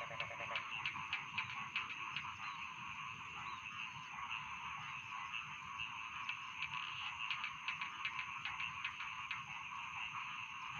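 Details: Rice field frogs calling as a dense chorus: overlapping rapid croaks and clicking pulses sound continuously, steady in level, over a constant thin high-pitched whine in the background.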